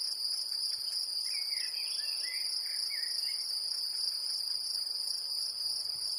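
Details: In Brittany, France, a great green bush-cricket keeps up a constant high-pitched rattling buzz, while a small bird adds a quick series of soft chirps in the middle.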